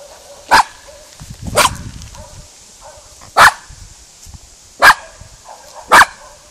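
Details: Spizy, a female miniature schnauzer meeting cows for the first time, barks to scare them off: five sharp, loud barks at irregular gaps of one to two seconds, with a faint low rumble between them.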